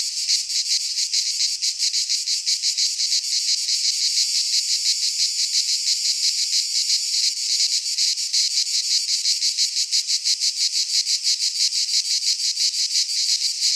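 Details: Greek pine-forest cicadas in midsummer keep up a harsh, rasping high drone, finely pulsed at a fast, regular rate and unbroken for the whole stretch.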